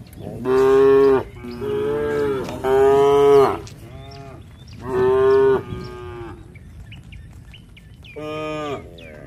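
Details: Herd of tame village cattle calling to each other on the way back to the shed: five or six strong, rich moos in close succession, each about a second long, then a pause before a final shorter moo.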